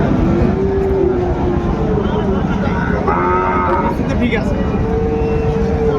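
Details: Sahiwal bull calves for sale at Ambari market in Dinajpur on 27 February, early in the market day; several long, even lowing moos with brief pauses, under constant crowd chatter and traffic rumble.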